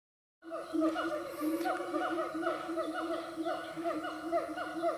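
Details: Siamang in the Siundol forest, a dense, continuous chorus of loud, harmonic hooting notes, each briefly rising and falling, repeated several times a second in overlapping series with a steady faint high hiss behind.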